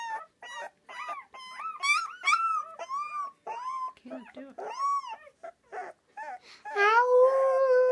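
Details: Rottweiler puppy howling in 2013: a run of short, wavering whimpering howls with rising and falling pitch, broken by brief gaps, ending in one longer, steadier sustained howl.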